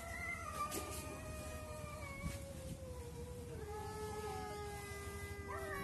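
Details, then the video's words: Cats talking to each other, overlapping sustained moaning yowls, one low and slowly falling while a higher voice joins and wavers, steady background hiss. "CAT TALKING TO EACH OTHER"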